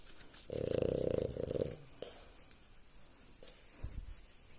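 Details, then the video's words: A female French Bulldog snoring as she lies on her back having her belly scratched after a morning walk: one loud, rattling, pulsed snore lasting about a second, then quieter breathy snuffles. "French Bulldog Lady gets high and snores."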